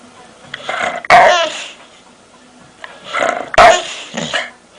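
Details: Pet dog making odd noises: two loud, harsh, harmonic yowling bursts about two and a half seconds apart, each followed by softer whining trailing off.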